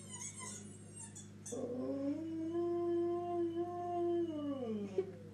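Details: Indoors, Toby the Jack Russell Terrier starts with faint high whines, then swells into a smooth howl that rises gently, holds for about three seconds and glides down, over a steady low background hum.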